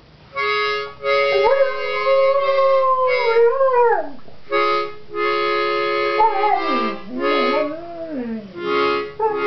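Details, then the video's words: September the Singing Dog moans for her morning bone, her stimulant of choice: long wavering howls that slide up and then sag downward, heard over steady harmonica-like musical tones. "September the Singing Dog moans for her morning stimulant of choice."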